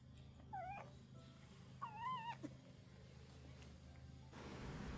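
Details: Baby kitten crying while being hand-reared and fed milk with its eyes closed: two thin, high wavering mews, the second longer and warbling, over steady low room hum, ending with a burst of rustling noise.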